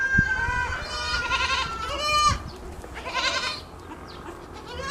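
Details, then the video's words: Goats calling in the morning as a kid nurses: a long, steady, nasal bleat, then a shorter tremulous one, with a faint thump at the start. "Morning time goat 🐐 drinking milk 🥛 relaxing sounds"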